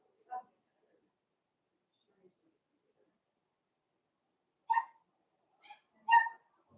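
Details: Blenheim Cavalier King Charles Spaniel puppies from a home puppy pen, part of a litter of five born at New Year's to Paris and Spike: a few short, high, clipped yelps, one early and a cluster of three near the end, separated by silence.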